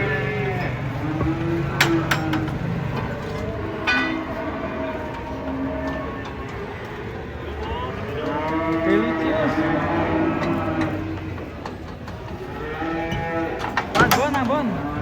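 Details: Moos from giant cattle coming down off a truck during unloading: several wavering, overlapping bellows rise and fall, broken by metallic clanks and knocks from the truck.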